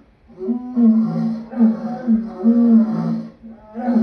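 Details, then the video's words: Lion producing a sustained, rasping growl that swells and fades in three or four pulses over a few seconds, deep and throaty throughout. "Lion sounds part 2"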